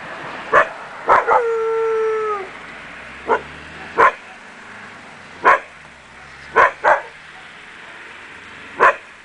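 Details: Akita Inu puppies from the Empire des Samouraïs kennel giving short sharp yapping barks spaced one to two seconds apart, with one drawn-out whining yelp near the start.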